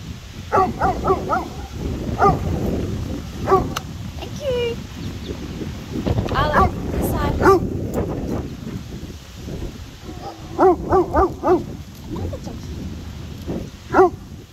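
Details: Arlo, a giant purebred Borzoi (Russian Wolfhound) sighthound, reacting to other dogs on a windy day in South Eastern NSW, Australia: bursts of short, harmonic yelping barks in quick runs of three or four, with wind rumble and voices.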